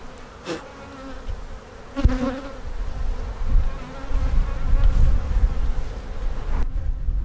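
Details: Hum of honey bees from an opened hive under inspection, with queen cups spotted and a split planned; the drone starts softer, swells after two seconds with a bright burst of buzzing, then settles amid low handling thumps.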